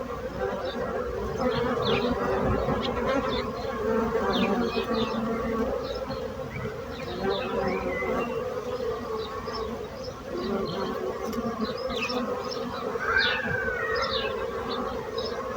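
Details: Dense, droning hum of bees over about sixteen seconds, fluctuating gently in loudness, with frequent short bird chirps and twitters sprinkled across the recording.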